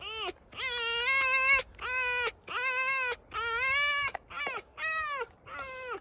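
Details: Pet fox kept at home, complaining in a noisy scene: seven loud, harmonic, whining screams, each about half a second to a second long, arriving in quick succession with short gaps between them.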